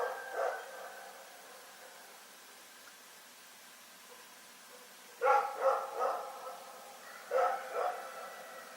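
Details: Rex, a dog in Pyrga, barking in the night: scattered bursts of two or three sharp barks, with a long quiet gap in between, over soft steady background noise.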